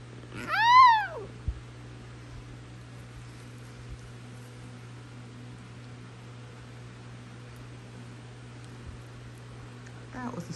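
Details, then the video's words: Basenji dog meowing, typically done on waking in the morning as a greeting combined with a yawn: one loud, arching, harmonic yowl rising then falling, followed by long quiet with only low hum and a faint short call near the end. "Basenjis Meowing. My Dogs Rarely Bark, But They Meow Pretty Often."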